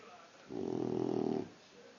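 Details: Boxer puppy asleep and snoring: a single low, rasping snore lasting about one second, with a buzzing, pulsed texture, then quiet room noise.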